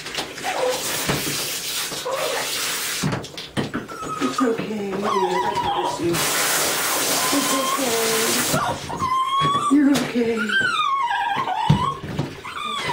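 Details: A Lhasa Apso called Jesse being given a bath: a woman talks reassuringly over running water, then rising-and-falling plaintive whines come through clearly near the end.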